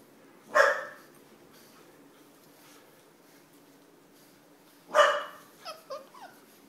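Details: Nine-week-old English Bulldog puppies indoors: two sharp, loud barks about four seconds apart, the second followed by a few short, higher yelping squeaks; quiet room hum between them.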